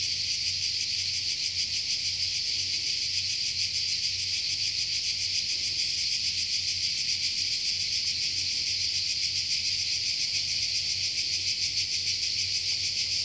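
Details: Continuous cicada chorus from a Croatian forest: an unbroken high, rasping hiss with fast even pulsing, holding the same level throughout, over a faint low rumble in the background.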